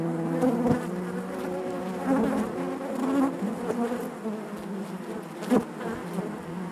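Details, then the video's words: Inside a honey bee hive, many bees keep up a dense, continuous hum with layered overtones, punctuated by short louder flares and faint taps, especially near the two-second mark and again past five seconds. "bees therapy hive natural buzzing sound"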